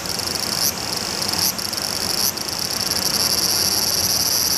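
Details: The large brown cicada walks closer while calling, apparently curious about the camera lens. Its sizzling high-pitched drone is broken by three brief dips, each about 0.8 seconds apart, before the steady buzzing resumes.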